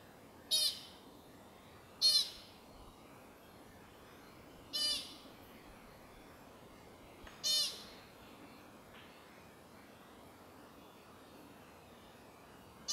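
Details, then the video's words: Sunset at the Carpenter Mountain fire lookout, H.J. Andrews Forest, Oregon, USA: an American pika utters four brief, piercing high squeaks spaced irregularly two to three seconds apart, then falls silent against a quiet, hissing background. "Clouds and Pika Call"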